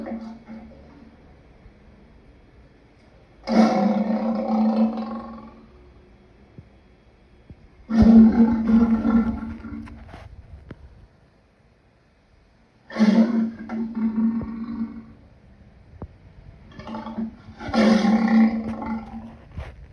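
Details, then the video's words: Repeated raspy lion roars, four bursts each around one to two seconds long, coming every four to five seconds over a quiet background. "Lion sounds part 2"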